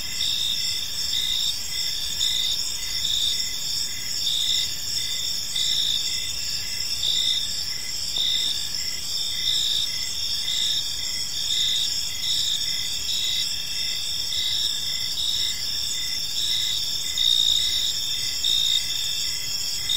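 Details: Crickets in a tranquil evening park produce an unbroken high, buzzy chorus, several trilling voices pulsing at different pitches at an even level, with only faint low-frequency noise beneath.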